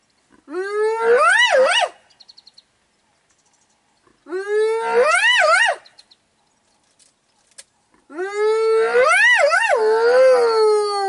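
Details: Spotted hyena in Kruger National Park, South Africa, near Biyamiti Bushveld Camp, calling while lionesses hunt: three loud drawn-out whoops, each rising then wavering up and down before breaking off, spaced about three to four seconds apart.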